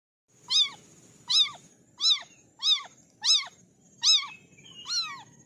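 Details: Kittens of an orange litter calling, seven high, arched meows repeated roughly every 0.7 seconds, each bending up then down, the last one longer and wavering; quiet background.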